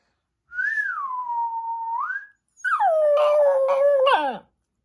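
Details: Pet dog answering a person's whistle: a clear whistled note dips and rises, then the dog gives a long, steady, slightly wavering howl that slides down at the end.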